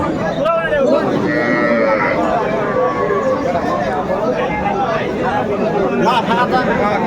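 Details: Cows with calves at Aftabganj cattle market, Dinajpur, 25 August 2024. A drawn-out lowing moo rises above a busy crowd, with men talking throughout.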